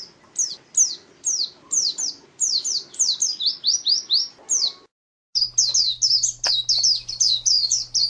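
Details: Champion contest white-eye kept as a pet, singing a fast run of sharp, high, down-slurred chirps, pausing briefly midway before resuming the rapid series, with a steady low electrical hum behind.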